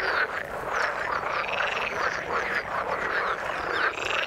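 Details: Frogs calling in the water, heard as a busy chorus of short rattling croaks overlapping continuously with no pause, several callers at once.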